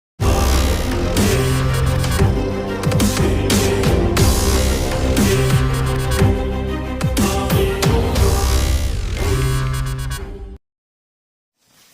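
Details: Loud dubstep electronic music with heavy bass and wobbling synths plays for ten seconds, then cuts to near silence, with no animal voice present.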